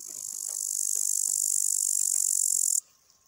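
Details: A male upland green bush-cricket (Tettigonia cantans) sitting on a twig gives its song: a steady, very high, sizzling trill that runs on without pause, then cuts off sharply after almost three seconds, leaving near silence.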